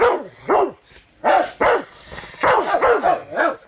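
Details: An angry Rottweiler reacts to a baseball bat being pulled on it, giving loud, deep, harsh barks in uneven bursts, singly and in quick doubles and triples, with short pauses between.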